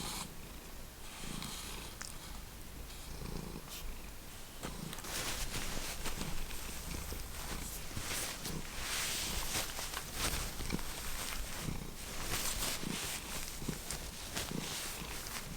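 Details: Domestic cat from the Lucky Ferals cat family, purring steadily with a low, rapid rumbling pulse throughout, broken by bursts of broadband rustling and scratching noise that grow denser in the second half.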